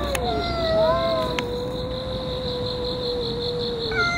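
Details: Park-dwelling cats locked in a fight that has gone on for over a year: one long, drawn-out yowl holding steady at mid pitch for several seconds, with brief higher wavering cries at the start, over a constant shrill insect drone.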